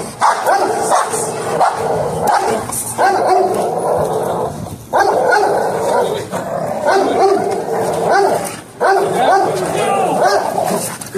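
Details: Barking from one of two pet dogs, a male XL American Bully called Legend and a female American Bulldog hybrid called Smooch, during bite sleeve training; loud barks come in dense bursts over background music and human voices.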